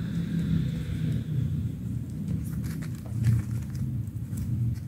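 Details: Kitten purring, a steady deep low rumble throughout, with light rustling and scratching noises above it.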